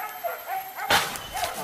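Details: Hunting dogs during a wild boar hunt give short, rising-and-falling yelping barks, several in quick succession with one harsh burst in the middle.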